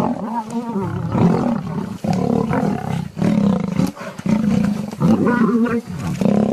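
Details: Lion producing harsh, rumbling roars and snarls in a steady run of overlapping bursts, breaking off briefly about every second or so.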